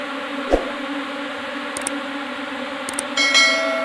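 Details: A new swarm of Asian honey bees, Apis cerana indica, arriving in a hive box: continuous droning buzz with a steady low tone and overtones, a few clicks and knocks, and a brief ringing sound toward the end.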